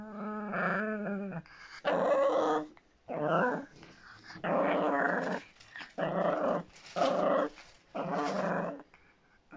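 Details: Miniature Pinscher growling indoors in long, rough, rumbling bursts of one to two seconds, separated by short pauses, about six bursts in all.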